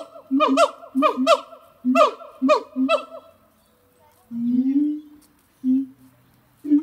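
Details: Pair of zoo siamang gibbons at Zoo de La Fleche, hot summer morning of 6 August 2018, giving loud rhythmic bark-like notes over low booms roughly every half second, then a pause and deeper drawn-out booming tones.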